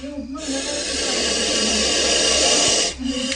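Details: Hood spread, a wheat-skinned cobra confronting people inside a bathroom gives a long, steady, forceful hiss lasting over two seconds, a harsh airy blast that cuts off abruptly, with a man talking briefly before and after.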